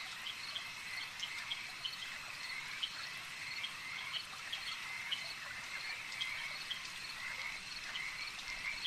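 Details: Lakeside frogs in full chorus: an unbroken high-pitched trilling hum, punctuated by scattered sharp clicks and short chirped notes repeated irregularly.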